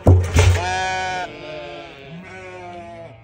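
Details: Two sharp knocks, then a newborn lamb's clear sustained bleat lasting under a second, followed by a softer, wavering, rising-and-falling bleat that fades away.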